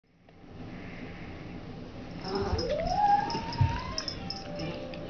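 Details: Howling old cat, part Siamese and part Abyssinian, almost 21 years old, recorded in November 2005 during its daily routine: a drawn-out tonal yowl gliding upward in pitch over about two seconds and holding high, above a low indoor rumble.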